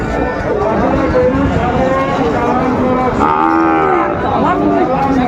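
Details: Sahiwal cattle, bull calves at a livestock market in Kushtia, Bangladesh, 13 February: one drawn-out low moo amid constant crowd chatter and bargaining voices.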